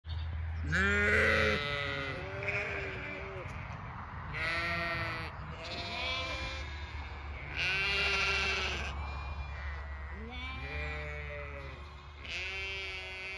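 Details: Zwartbles ewes on a regenerative farm in County Kilkenny, Ireland, bleat as the farmer walks past, asking to be moved to fresh pasture: about six loud, wavering, harmonic-rich bleats from several ewes, some overlapping, over a steady low hum.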